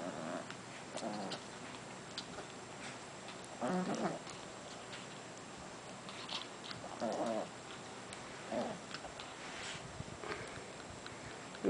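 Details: Two Japanese Chin brothers, a puppy and his older sibling, mouth wrestling after about fifteen minutes of play: soft, rumbling growl bursts scattered every few seconds over quiet indoor background with faint ticking.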